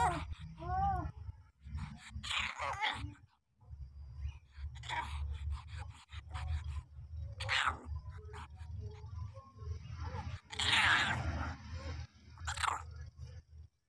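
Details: Puppies just seven days old: a quavering high whine early on, followed by short squeaky cries over a steady low hum and handling noise.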